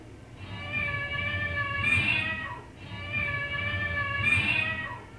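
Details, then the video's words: House cat calling two long, strained meows in a row, each holding a steady pitch before a sharp rising peak and a quick drop, repeated about every two and a half seconds. "vidio kucing lucu gemes banget tahan tawa si mpus heransuara nya dri mana padahal di kerjain"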